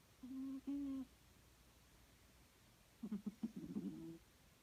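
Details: A female Snowshoe Siamese cat, a habitual snorer, snores in her sleep with low, humming, nasal tones in short breathy bursts, possibly while dreaming.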